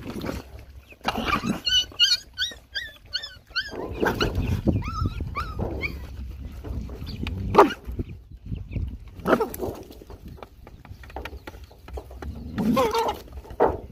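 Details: Hungry puppies with their nursing mother, being fed, make a run of quick high whistled whines in rapid succession, followed by scattered yelps and whimpers over steady rustling and eating noise.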